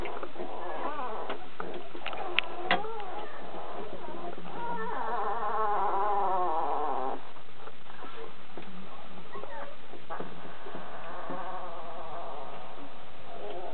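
Kuvasz puppies whine and whimper in thin, wavering, high-pitched cries.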